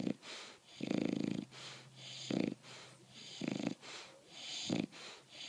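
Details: A sleeping bulldog, worn out after the dog park, gives rough, grating snores at uneven intervals. A long drawn snore is followed by shorter snorts, with faint breathing between them.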